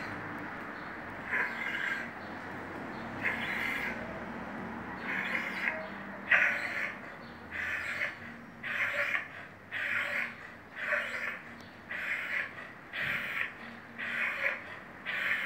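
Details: A vizsla with a breathing problem, possibly heart disease or pharyngitis: rasping, noisy breaths repeat about once a second, each a harsh breathy burst, growing steadier and more rhythmic through the recording.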